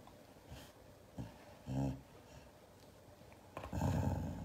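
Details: Siberian Husky angrily reacting to hugs indoors: a brief low grumbling growl midway, then a longer rough, snorting rumble building toward the end.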